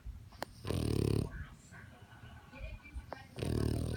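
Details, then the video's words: Snoring French bulldog, two rough, low, rattling snores about three seconds apart with soft wheezy breaths in between. "French bulldog snoring"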